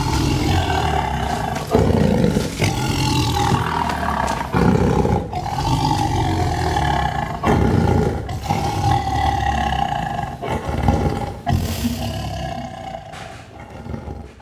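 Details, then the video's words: Series of deep Sumatran tiger roars recorded just two meters from the animal with simple equipment: long rough low rumbles broken by short gaps and loud swells, fading toward the end, over a steady background hum. "sumatran tiger roar"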